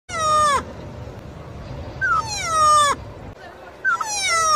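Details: Meerkat, a mammal of the mongoose family: three loud, harmonic whining calls, each starting high and sliding steeply downward, spaced roughly two seconds apart against a quiet background.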